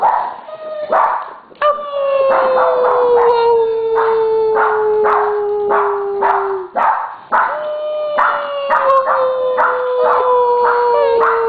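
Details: Three pet Siberian Huskies, Simba, Crystal and Aspen, howling on cue at their owner's urging; two long, gently falling howls, the first breaking off near seven seconds before a second begins, layered with frequent yipping barks.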